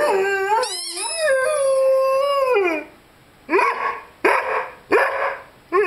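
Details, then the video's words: Five-month-old Rhodesian Ridgeback named Lyle howls indoors beside his squeaky chicken toy: a long sustained tone gliding down at the end, then short rising yelps or yips in quick bursts. "Rhodesian Ridgeback Howling with squeaky toy."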